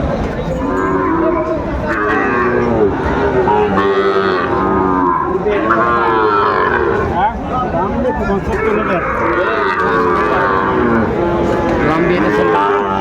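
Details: Sahiwal young bulls for sale at a Chattogram market in Bangladesh, 17 August 2024; repeated overlapping lowing moos from several animals over thirteen seconds, mixed with men bargaining over prices.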